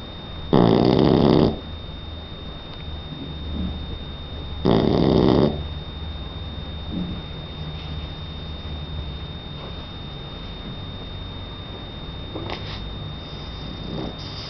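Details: A three-month-old Shar Pei puppy, Donna, snores during sleep: two strong gravelly breaths in the first six seconds, then only soft breathing and faint room noise.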